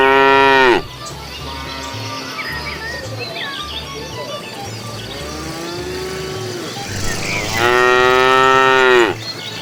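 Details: Cows walking the road looking for food; two loud, long moos, one at the start and one near the end, with quieter lowing between, light bird twitter and a low rhythmic music bed.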